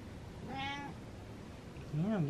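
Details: Happy male domestic cat indoors giving one short, clear meow that rises and falls, followed after a pause by a woman talking to it.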